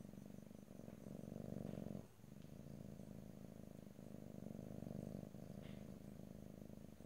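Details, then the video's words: Domestic cat purring close up, recorded in stereo ear to ear with no talking; a steady low rumbling purr with breaths, one brief pause near two seconds, soft faint rustles above. "ASMR Cat: Purring"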